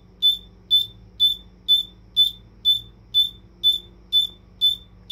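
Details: A bell cricket (Homoeogryllus orientalis) rings out a clear, high, bell-like chirp, repeated steadily about twice a second.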